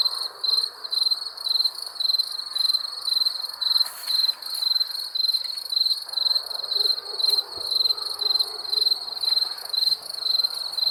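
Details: Night-time cricket chorus: bright, shrill chirps repeated roughly once a second in an even rhythm, a continuous fainter high buzz running behind them.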